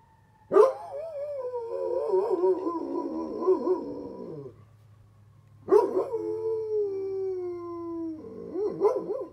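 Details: Bear, a Great Pyrenees dog, howling along with a fire truck siren to match its tone. Sustained quavering howls last several seconds each, with a steadier falling note in the second, then a fresh burst at the end.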